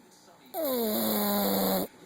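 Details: Sleeping pug, recorded on a phone, giving one long, groaning snore that starts higher, then sinks and settles into a steady low drone for over a second before stopping abruptly.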